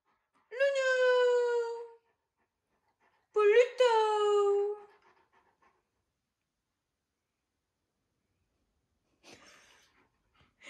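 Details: An Alaskan Malamute howling for no apparent reason gives two long, clear, slightly falling howls of about a second and a half each, separated by a pause, followed by quiet.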